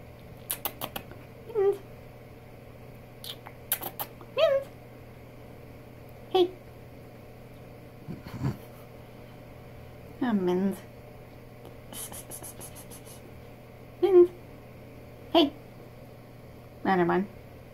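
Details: Chatty female pet cat Mittens in a small room answering her owner with a long run of short chirping meows and trills, some dropping low, spaced a second or two apart, with clicks and a low hum.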